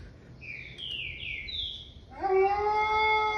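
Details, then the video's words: Wolf: a few short, high, downward-sliding yelps, then a steady, clear howl with rich overtones starting just past two seconds and held level to the end. "Wolf sounds"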